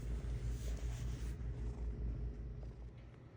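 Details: Short stretch of a cat's purring, a deep regular rumble that softens toward the end as faint background hiss drops away.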